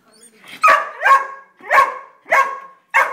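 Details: Pet greyhounds, two plus a foster dog, bark after discovering a squirrel at a backyard bird feeder: five sharp, ringing barks in about three seconds, loosely spaced, after faint low sounds at the start.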